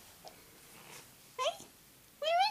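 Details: Two short meows from a cat, the first brief and the second longer with a rising, drawn-out tone, over faint background hiss.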